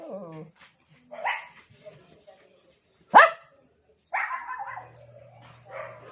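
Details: Household pet dog trying to get another dog's attention, giving scattered soft yelps and whines around one loud, sharp bark midway, with a steady low hum near the end.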